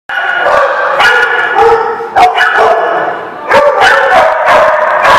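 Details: Many dogs barking at once in a loud, overlapping chorus of harsh barks and yips, with sharp barks standing out about every second.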